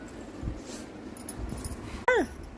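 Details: German Shepherd gives a short, high whine that slides steeply downward, a sound of distress; it is frightened by the noise of firecrackers and had hidden away.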